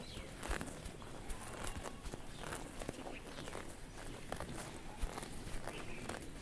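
Grazing cows make a run of dry, crackling rips as grass is torn and chewed, coming in quick irregular bursts. Low thuds of hooves and shuffling steps sit underneath throughout.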